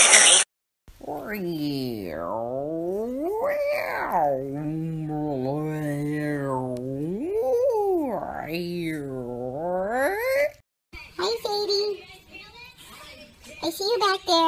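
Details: Basset Hound named Sadie, indoors, giving a long drawn-out howling song for about ten seconds, the pitch sliding up and down in wavering arcs, followed by a woman talking to her.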